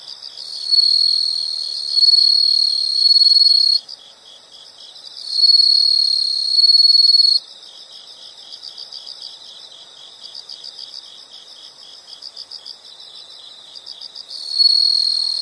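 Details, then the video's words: Insect chorus with loud, high-pitched buzzing trills lasting several seconds, broken by pauses. A softer, rapidly pulsed chirping runs through the quieter stretch before a final trill starts. "the sound of insects"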